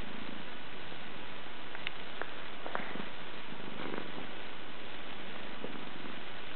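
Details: Sleeping black-and-white Scottish Fold cat snores with a steady, deep, low rumble and faint scattered ticks, indoors and quiet.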